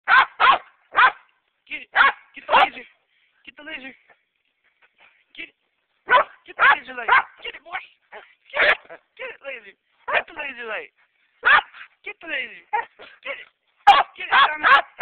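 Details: A pet dog chasing a laser, barking loudly in sharp, bright bursts, often two or three barks close together, separated by short silent gaps, with a quick flurry of barks near the end.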